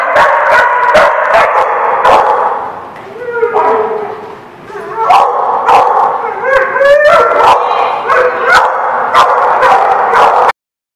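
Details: Many dogs at a kennel barking in a busy chorus, rapid overlapping barks with brief lulls, rising whines and yelps mixed in around the middle, ending abruptly.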